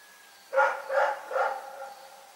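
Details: Rex, a dog, barking at night: three harmonic barks in quick succession about half a second apart, each with a short fading tail, against a quiet background.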